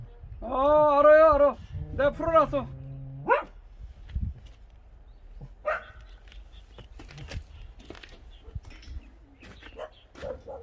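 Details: Dog from the pair Kkamdori and Tancheol giving a drawn-out wavering howl in two bursts over about three seconds, rich in stacked tones, followed by quieter scattered yips and rustling outdoors.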